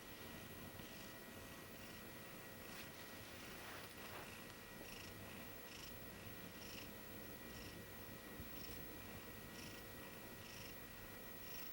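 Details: A napping female Maine Coon, asleep on a bed while being cat-sat, snores softly: faint breathy hisses repeat at a steady rhythm under a constant low room hum.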